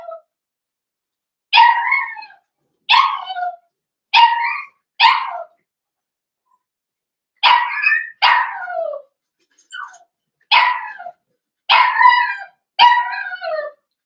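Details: Cavalier King Charles Spaniel puppies, five blenheim littermates born over New Year's, in an indoor puppy pen. About eleven short, shrill yelps come in loose clusters of two to four, each dropping slightly in pitch, with quiet gaps between.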